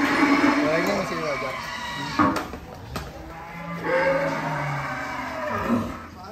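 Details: Giant cattle at Bintang Tani Farm, Indonesia, being unloaded from a truck. They give drawn-out harmonic lowing, loudest in the first two seconds, then again near the fourth second. Men talk over the moos.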